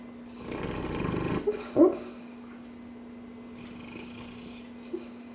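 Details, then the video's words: A Cane Corso dog snoring while dreaming: one long, rough breathy snore lasting about a second, followed by a short sharp snort, over a steady electrical hum indoors. "cane corso snoring/dreaming"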